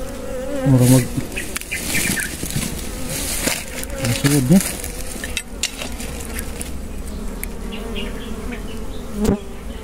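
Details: Wild honey bees during a honey harvest in the Philippines, their buzzing a wavering drone beneath loud handling thumps, rustles and knocks, with a passing louder hum from a nearby bee.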